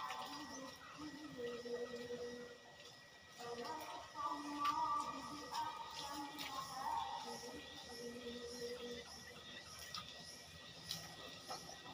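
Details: Quiet background music with soft tones and faint voices, with no clear animal sound.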